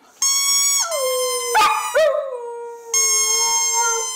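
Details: Female dog singing to the wheeze of her squeaky bowling-pin toy, 23 January 2010; a drawn-out steady howl drops in pitch and continues evenly, interrupted by two brief squeaks before another long tone resumes.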